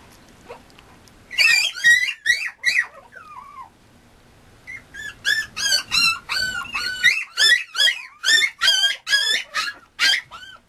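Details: Male Mame Shiba puppy at a breeder's kennel in Japan: high, piercing squeaky yelps in quick series, a short burst, a pause of about two seconds, then a long run of roughly two cries per second.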